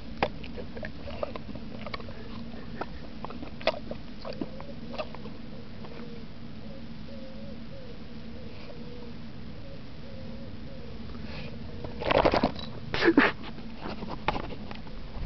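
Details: A pet English mastiff eating snacks indoors with no table manners: scattered wet clicks and smacks, a faint wavering tone in the middle, then two bursts of loud crunching and chomping near the end.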